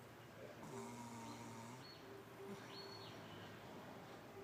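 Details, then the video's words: Darla, a pug, snores: a single drawn-out, nasal, whistling breath lasting about a second, then faint squeaky wheezes over a steady background hiss. "Darla the pug snoring"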